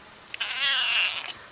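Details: A pet cat lets out one long, strained, high meow of nearly a second, steady then tapering, with light clicks before and after.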